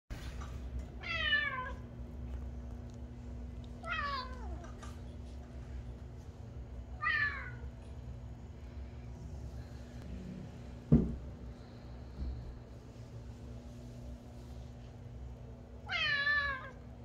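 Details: Domestic cat indoors, a cute cat that prefers a box to his bed, giving four separate meows spaced about three seconds apart, each a falling, harmonic-rich wail, with a steady low hum and a single sharp knock between them.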